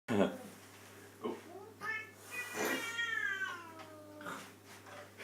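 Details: Domestic cat making a funny noise indoors, a drawn-out harmonic meow that wavers and falls near the middle, with shorter bursts before and after and some speech-like sounds mixed in.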